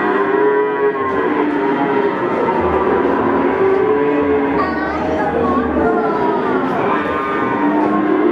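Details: Male Peranakan Ongole cattle at the Pon market, Ambarawa, Central Java; several sustained, wavering moos rise and fall in turn over about eight seconds, mixed with dense background voices and trading noise.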